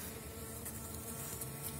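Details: Strong Elgon bee honeybee colony after wintering, filling seven widened Warsaw frames in a dry opened hive, 2019 season; even, low buzzing hum with faint stacked tones throughout, steady in loudness.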